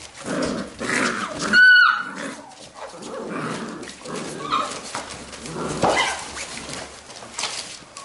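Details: Labrador retriever puppies from a B litter at play; one sharp high whining yelp with bright overtones rises then falls near the start, set among low grumbling growls, scuffling paws and soft thuds.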